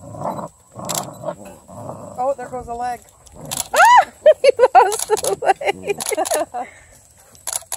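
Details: Redbone Coonhound puppies, the litter's females, tussling over a blue hippo toy; high, arching whiny yelps and yips come in a rapid string after a few spoken words, with human chatter around them.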